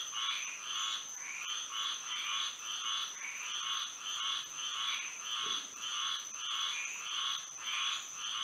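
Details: Night chorus of frogs in Florida under moonlight, with short buzzy croaking pulses about twice per second that swell and fade in overlapping waves, backed by a constant thin, high ringing tone.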